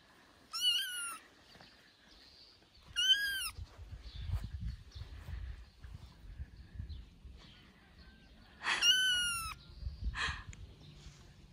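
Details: Johnny, a tiny kitten three weeks after birth, meows loudly while playing on his dad's shoulder: three shrill, wavering cries several seconds apart, with low rumbling and rustling between them.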